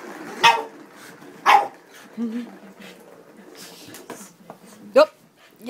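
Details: Boston Terrier Moe, worked up over a cat toy, barks sharply a few times with pauses between, while human speech murmurs in the background.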